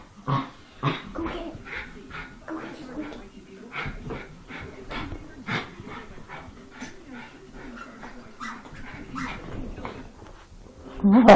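A Schipperke sings along in wavering, whiny howls and yips while a person talks and sings with it.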